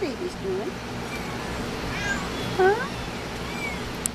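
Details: Young Munchkin kittens, July 17: several short high mews with curved, bending pitch, a cluster near the start and another pair midway, over a soft steady indoor hum.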